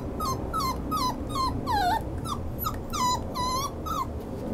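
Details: A Schnauzer gives a steady series of short, high whines, each bending down in pitch, about three per second, over a constant low background rumble.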